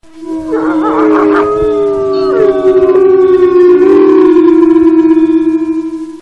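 A wolf gives a long, steady howl that holds one pitch with slight wavers.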